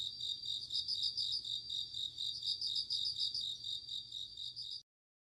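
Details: Night insects in autumn with a bell cricket giving rapid, high, ringing pulses in a steady run of bursts for nearly five seconds, then abrupt silence at the end.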